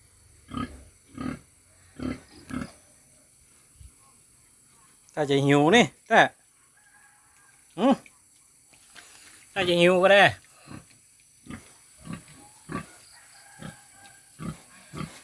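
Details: Young purebred wild boar piglet, possibly hungry, giving short grunts repeated about every half second, broken by two longer, wavering squeals, while a man talks nearby.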